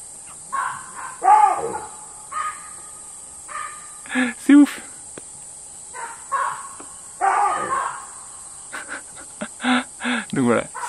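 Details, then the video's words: Baboon troop settling into trees at nightfall in Namibia's Caprivi (Zambezi Region), screaming for an hour as they seem to argue over branches; loud harsh bursts with falling pitch come in irregular clusters, with a man talking between them. "On vient de se prendre une petite douche, on va se faire à manger avec le cri des babouins et toujours un incroyable coucher de soleil."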